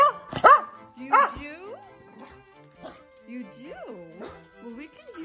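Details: Senior Pembroke Welsh corgi, almost 12 years old, barking to create a distraction at bath time: two sharp, loud barks within the first second and a half, followed by background music and faint voices.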